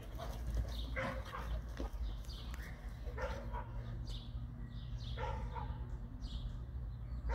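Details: Dog barks, from a household of a female brindle Boerboel, a male American Bully and a female brindle Serbian Defense Dog; short sharp barks come in scattered bursts over a steady low rumble of background noise.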